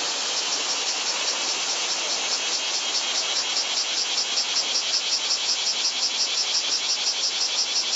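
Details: Japanese summer cicada chorus from 2014, claimed over 120 dB, recorded with a Panasonic Lumix TZ20/22 camera: an intense, high, shrill buzz with a fast, steady throbbing pulse sustained throughout, and no other clear sounds.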